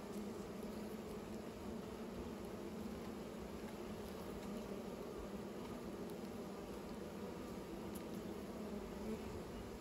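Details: Bees at work building new nests, heard as a continuous low buzzing drone with layered overtones under a fairly even hiss of background noise, with no pauses or changes in pitch.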